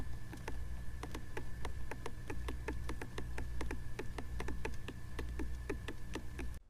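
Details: A leaf insect, most likely a young nymph, rubs its antennae together when disturbed, making a rapid series of dry, sharp clicks.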